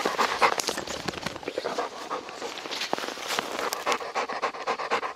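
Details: Rapid, airy panting from a Labrador Retriever named Deokbae on a snowy mountain trail in Gangwon Province, caught in heavy snow in late March; puffs come in quick, slightly irregular bursts.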